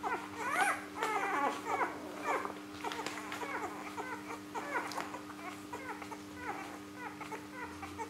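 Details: Day-three Rhodesian Ridgeback litter nursing in Perth, Australia, born September 21st, 2013: many tiny pups squeal and whine in quick overlapping bursts, some cries sliding upward, with a constant electrical hum underneath in a small room.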